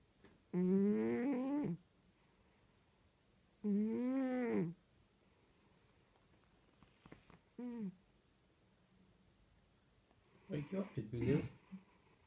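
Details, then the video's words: Sleeping cat snoring, recorded on a mobile phone indoors: four voiced, harmonic breaths, each rising then falling in pitch and about a second long, spaced roughly three seconds apart, the last one rougher and broken. "Snoring cat"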